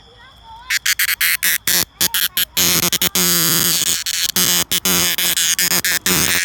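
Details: A cicada sings close and loud: a thin tone at first, then harsh broadband buzzing bursts that stop and start irregularly, several per second.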